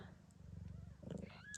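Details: Gambit, a blue bicolour Ragdoll queen in Australia, purrs during the birth of her kittens: a continuous deep, pulsing purr, with a thin high squeak from a newborn near the end.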